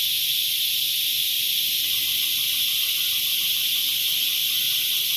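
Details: A continuous shrill drone of cicadas, even and hiss-like from start to finish, with a soft, faint pulsing just audible beneath it.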